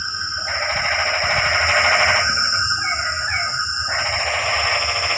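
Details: Frogs calling on a quiet rainy night: a dense, harsh, pulsing chorus of rapid rattling croaks that swells and fades in long bursts, over a steady high insect-like hiss.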